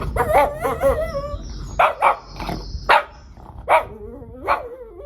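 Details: Shih Tzu dog reacting to weird sounds: a series of short sharp barks and yips, about five bursts spaced irregularly, over played squeaky whistling sounds at the start.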